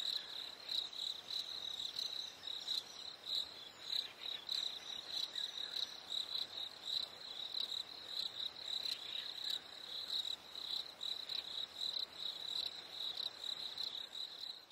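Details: Summer-evening crickets in chorus give a continuous, high-pitched chirping. Rapid pulses pile into uneven bursts that swell and fade every second or so, over a faint, even night hiss.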